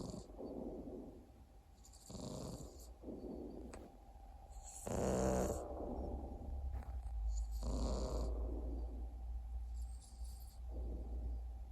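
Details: Sleeping Exotic Shorthair cat snoring in a series of rough, raspy breaths every two to three seconds. Some are soft rumbles and one is a louder wheezing snort, over a faint steady hum.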